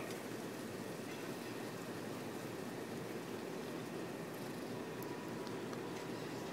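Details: Continuous broadband rushing noise like running water or a passing train, with no animal sound.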